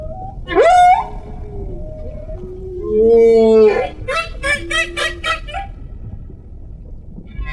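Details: Humpback whale underwater: a sharp rising whistled moan, then a long steady low tonal hum, followed by a rapid train of pulsed, buzzy bursts that fade into quiet water.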